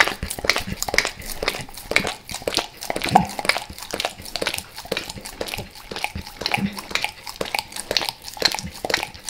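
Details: Max the dog licking peanut butter and oil indoors in El Paso, moist tongue smacks and slurps about twice a second, uneven in strength.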